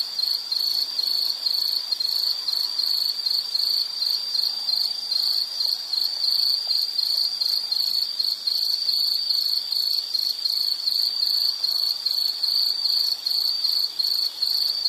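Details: A continuous insect song from a relaxing nature soundscape: high, metallic chirps pulsing rapidly and evenly throughout, with a faint higher buzz layered above and a gentle background hum.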